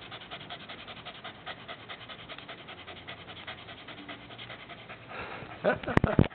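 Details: A dog panting as its tongue is played with; fast soft rhythmic breaths through most of the stretch, ending in louder rubbing and handling noises.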